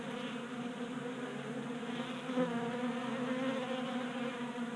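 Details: Honey bees at a 3D printed feeder in a Colorado garage during late January heat; a full, steady buzz of many wings swelling briefly midway.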